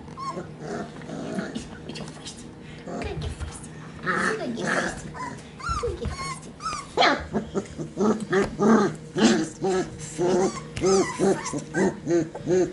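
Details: Sheepadoodle puppies, Pepper's lone pup and two from Coco's litter, penned together on 5/7/20; a human voice and low grumbles open, then a steady run of short, rising yips about twice a second toward the end.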